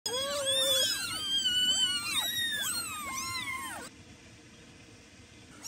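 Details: Several young kittens meowing loudly for attention from a mother cat that ignores them; high arched meows overlap in quick succession, some rising and falling, for about four seconds, then near quiet with faint background hiss.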